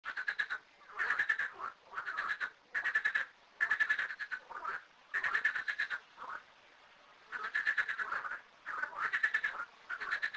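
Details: Frogs calling from two small garden ponds holding thirteen frogs; rattling, pulsed croaks come in bursts of about half a second, several callers overlapping, with short quiet gaps between bouts.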